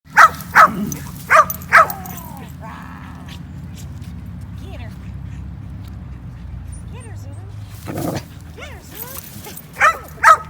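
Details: Basenjis, four of them including Zulu and friends, running and playing together at a dog park in 2019; short sharp bark-like yelps in pairs near the start and end, with people chatting quietly between them.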